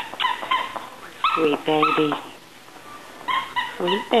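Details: Cocker spaniel puppies at play: bright yips alternate with lower, drawn-out whines and a few harsher squeals, in short clusters separated by a quiet gap.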